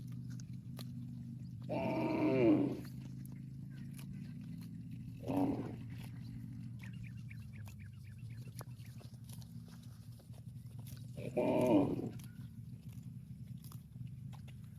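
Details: Cow calling its extended family with moos: three loud, bellowing moos spaced several seconds apart, the first and last longer, a shorter one between, over a constant low rumble.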